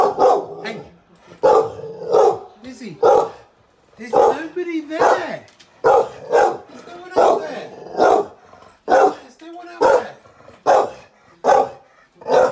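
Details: Rescued Staffy x Rhodesian Ridgeback Lizzie barks to protect her wheelchair-bound owner from a suspicious stranger outside the door. Deep, loud barks come in quick bursts, about a dozen over twelve seconds, some doubled, with a brief whine. A person speaks between barks.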